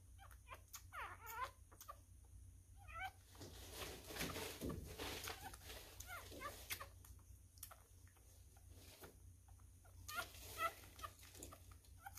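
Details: Newborn male miniature schnauzer puppy being hand-fed, a messy eater: thin, wavering high whimpers and squeaks come every few seconds amid wet smacking and sucking clicks, with a steady low hum behind.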